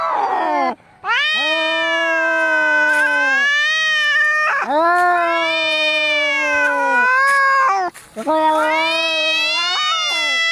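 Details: Angry cats in a fight, recorded as a rat-repelling sound: three long, tense yowls, each swelling upward at the start and then held with a quavering tone, with brief silent breaks between them.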